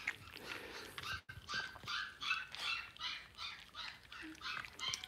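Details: Five blenheim Cavalier King Charles Spaniel puppies, two weeks old, born on New Year's, in a home puppy pen during potty training; rapid high squeaky cries repeated about two or three per second, with faint rustling.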